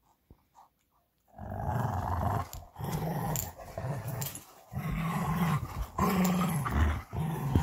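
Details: After a quiet start, two Belgian Malinois named Bullet and Apollo break into steady, deep growls while playing tug of war with a favorite toy, with a few drawn-out tonal rumbles near the end.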